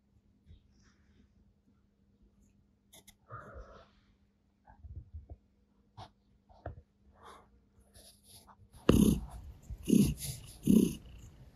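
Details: Female Russian Blue cat, grey, kneading or 'making biscuits' on a sofa next to a person; quiet low hum and scattered soft sounds at first, then loud breathy rhythmic purring pulses about once per second near the end.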